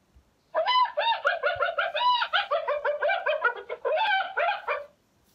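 A hyena gives a fast run of nasal, cackling notes lasting several seconds.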